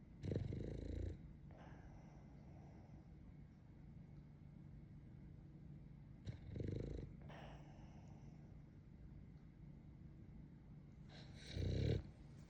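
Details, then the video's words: French Bulldog in deep sleep, eyes half open, snoring: three loud low rasping snorts about five to six seconds apart, at the start, middle and end, with soft steady breathing and a faint hum between them. "YAMATO 爆睡中 半目で寝てます。この寝息と この半目を見つめると あなたも眠くなりますよ"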